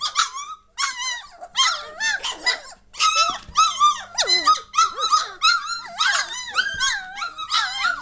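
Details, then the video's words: Litter of German Shorthaired Pointer puppies aged 3 weeks 1 day, 22 May 2014, getting lively and noisy: dense overlapping high whines, squeaks and yelps, rising and falling, several pups calling at once with few pauses. "German Shorthaired Pointer Puppies aged 3 weeks 1 day"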